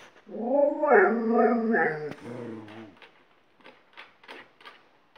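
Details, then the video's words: Malamute howling lesson for a second dog: one wavering, melodic howl for about two seconds, then a low grumbling moan, followed by soft scattered taps and rustles. "Alaskan Malamute's Howling School"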